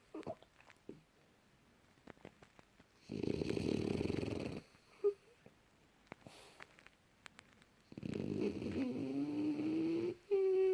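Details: Young French Bulldog sleeping deeply, recorded January 2018: two long rough snores, the second ending in a rising whistly squeak, separated by a quiet pause with faint clicks.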